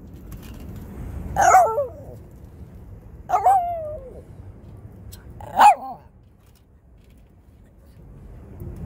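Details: Shih Tzu barking: three separate short barks spaced about two seconds apart, each a quick yelping burst, then quiet room noise.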